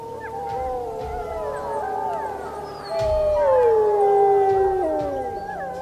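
Several wolves howl together in long, sustained tones that overlap and waver. One strong howl swells, then glides steadily down in pitch before fading, while a gentle musical drone continues underneath.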